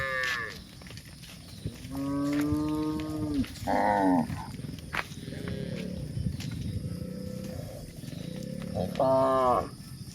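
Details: A herd of village cows grazing on green pasture, several harmonic moos spaced a few seconds apart, some low and sustained, some higher and strained, over a constant rustling background.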